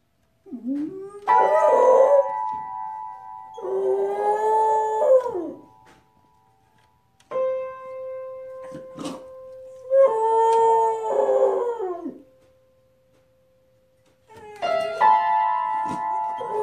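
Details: Beagle at a piano, playing and singing along: three long, wavering, tonal howls of two to four seconds each, separated by short pauses, mixed with piano notes. Applause follows.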